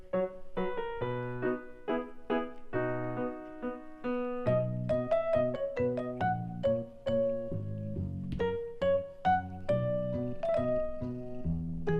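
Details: Gentle piano melody with clear, separate notes and chords plays throughout.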